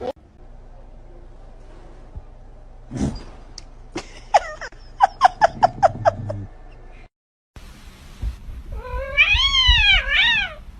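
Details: Cat in a humorous compilation making a quick run of clipped, repeated chirps, then after a short gap a long wavering yowl that rises and falls, with faint speech around it.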